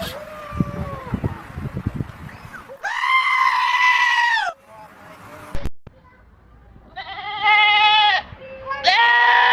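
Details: Goat calls: after a stretch of human talking and clatter come three long, loud, scream-like bleats, steady and strongly harmonic, each lasting one to two seconds.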